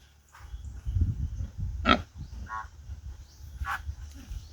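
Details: Native pigs on a farm; low rumbling grunts fill the background, broken by a few short higher squeals and squeaks.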